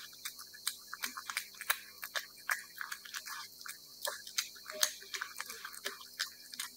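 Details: Cat eating wet food, steady chewing with dense, crisp wet clicks and smacks repeating several times a second in an uneven rhythm, with no other sounds.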